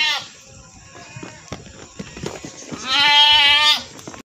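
A goat gives a loud, nasal bleat with a slight waver, after a brief shorter bleat at the start.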